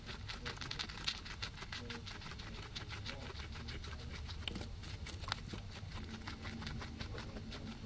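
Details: Grass being eaten by two guinea pigs, recorded with a ZYLIA ZM-1 microphone array: continuous quick crunchy clicks and occasional sharper snaps, with a low background hum throughout.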